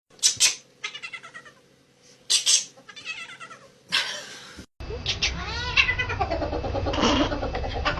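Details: Domestic cat giving loud, abrupt, choppy meows and yowls likened to shotgun sounds; several sharp bursts with pauses, then continuous wavering yowling over louder background noise.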